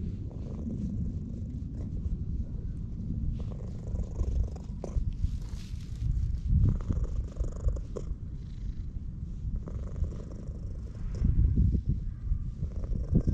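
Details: Loud purring from an orange tabby stray cat being stroked in a park, captured on a GoPro HERO8: dense, low vibrating drone that swells and fades with the petting, accompanied by soft rubbing noises.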